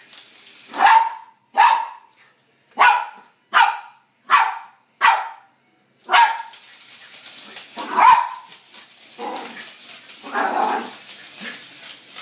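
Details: Costumed Poodle, dressed as Katy Perry, barking at a helicopter; six evenly spaced loud barks open the clip, then softer, rougher barks and yips over a faint continuous background hum.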